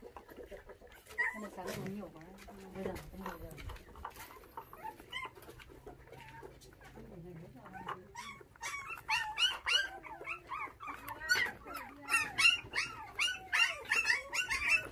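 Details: Five orphaned puppies, bottle-fed with milk after dog thieves took their mother when they were six days old, whimper during feeding; a man talks first, then rapid high-pitched squeaky whines rise and fall nearly every second, growing louder.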